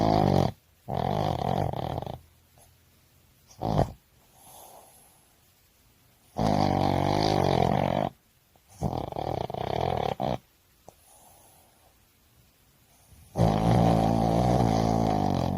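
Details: A Boston Terrier sleeping after a lively walk snores loudly: rough, rattling snores in bursts of one to two seconds, separated by quiet pauses, recorded indoors.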